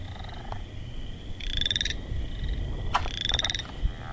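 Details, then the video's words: Frog calling with two buzzy, rapidly pulsed bursts lasting under a second, about one and a half seconds apart, among sharp clicks and a faint low background hum. "Frog Sounds"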